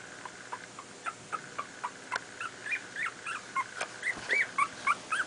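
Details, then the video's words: Two-week-old miniature pinscher puppies from a litter born 28 July 2008, playing: thin, high rising whimpers and squeaks, soft at first and then growing louder and more frequent, about three to four each second. "TWO WEEK OLD MINIATURE PINSCHERS PLAYING"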